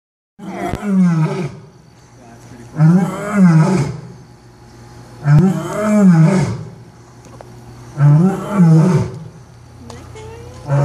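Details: Captive lion at Omaha's Henry Doorly Zoo roaring before feeding time: four deep, powerful roars about every two and a half seconds, each swelling then fading, with a weaker fifth starting at the end.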